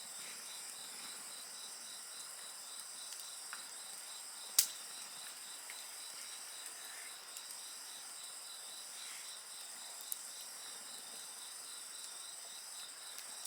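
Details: Constant shrill insect chorus with a quick, even pulsing trill and a high sustained ring. A loud bonfire crack stands out midway, with softer crackles scattered elsewhere.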